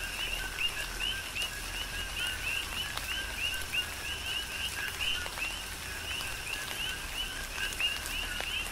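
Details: Coqui frogs in a Hawaiian tropical downpour on the Big Island, a steady overlapping chorus of short rising two-note chirps several per second, set against continuous rain noise and occasional louder drips.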